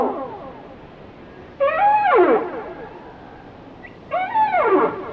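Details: Two harmonic whale calls, each jumping in abruptly, rising briefly, then gliding down in a wavering arc, separated by a couple of seconds of quiet ocean hiss.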